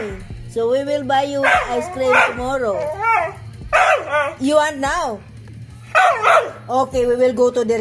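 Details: A Siberian husky howls along to the Happy Birthday song in drawn-out, wavering, rising and falling tones over music and voices.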